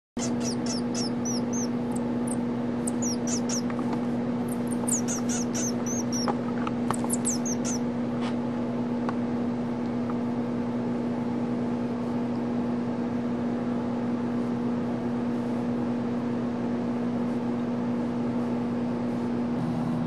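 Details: Hand-reared young male pygmy marmoset named Mico, captive at the Rare Species Conservatory Foundation, calling during play time: clusters of thin, very high-pitched chirps and short trills in the first seven seconds, then quiet, over a steady low electrical hum.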